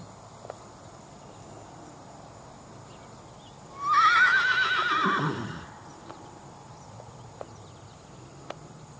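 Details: Tennessee Walking Horse mare named Lexi, filmed at age 3 while very green, barefoot and in a plain french link snaffle; a single loud whinny of about two seconds, wavering high then falling, over quiet rural background with a few hoof clicks.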